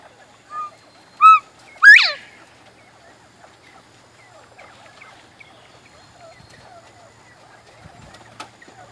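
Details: Georgia Giant bobwhite quail calling from a grow-out pen in the morning, signalling hunger: two loud clear whistled notes, the second sharply rising and buzzy, then quiet background with faint distant bird chatter.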